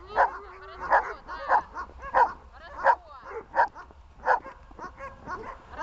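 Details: Glemmy the dog barks during protection-training bark-at work: loud, sharp, mid-pitched barks come steadily, roughly one every three-quarters of a second, with some quieter yips between them.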